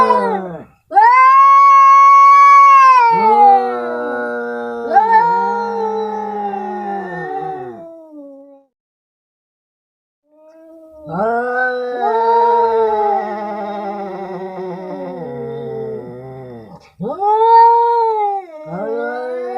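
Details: A fight between two tomcats in India. Each bout is a piercing wail that falls into warbling, descending moans. There is a pause of about two seconds mid-way, then more quavering yowls and a final short cry.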